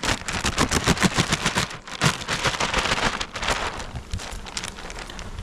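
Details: Rapid, irregular crackling and popping bursts fill the recording, with no animal voice heard.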